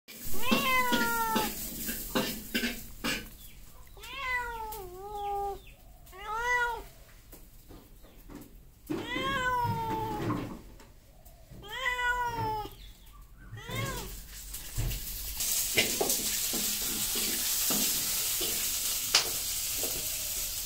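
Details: Cats and kittens meowing: a run of loud, drawn-out meows, some rising then falling, repeated over about thirteen seconds, followed by steady hissing background noise.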